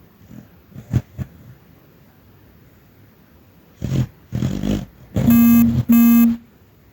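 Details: Dreaming dog Chester, imagined to be chasing rabbits, makes short, low, throaty snorts and a stretch of rumbling snores, followed by two loud electronic beeps.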